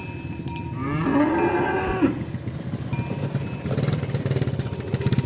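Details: Cow driven through muddy fields toward the pen: one brief rising moo in the first half, then low rumbling and rattling noise.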